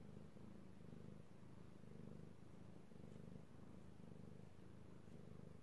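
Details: Contented purring from a male cat being stroked, recorded 16 March 2018: a deep buzzing rumble cycling just under once per second, steady and close.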